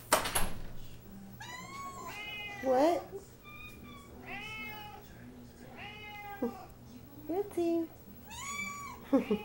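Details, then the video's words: Several house cats, billed as The Gray, Snow Leopard and Banshee, meow indoors in a small room. About six separate meows, each a short harmonic call that rises then falls, arrive one to two seconds apart, with a sharp click at the start. "Kitty Cat Chorus"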